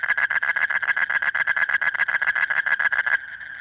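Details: Asian common toad male giving its breeding-season mate call deep in the night, a harsh rapid trill of close pulses that stops abruptly near the end, leaving a quieter background hum.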